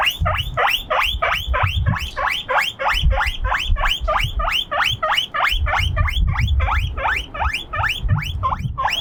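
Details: Lonely guinea pig alone on a windy veranda, crying out loud in a long, steady series of rising whistled squeaks, about three per second, each sharp and bright, while gusts of wind rumble low throughout.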